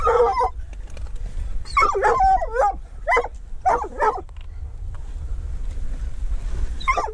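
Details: Treeing walker coonhound hunting mink together with a dachshund. Clusters of sharp, strained barks and howling yelps sound in uneven bursts, with a quieter stretch before a final bark and steady low outdoor rumble underneath.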